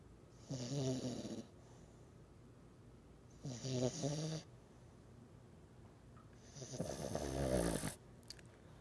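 A French Bulldog snores in loud, rattling bursts, each lasting about a second, separated by quiet pauses.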